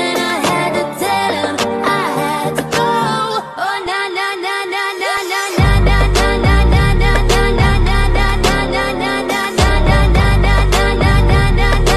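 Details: Upbeat pop music with sung vocals and a heavy bass beat that drops out briefly midway; no animal voice is heard.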